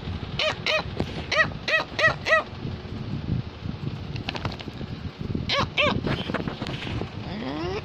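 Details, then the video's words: Cavalier King Charles Spaniel barking because it wants to tell its owner something: quick runs of three to five high, sharp yaps early on, a pause, then another burst near the end, over low background music and faint voices. "Cavalier King Charles Spaniel is barking"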